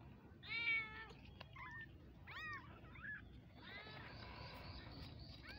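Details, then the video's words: Kittens meowing: a few short high harmonic mews, the first loudest, then a cluster of overlapping cries near the end, over a low steady background hum. "Mini cute kittens baby meowing"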